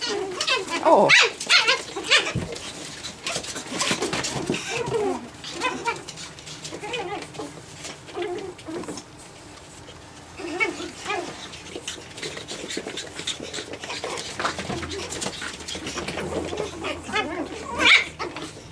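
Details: Japanese Chin puppies, nine weeks old, at play: scattered high, squeaky yips and short whiny cries come in irregular bursts among scuffling and rustling noises, with a few quieter gaps between.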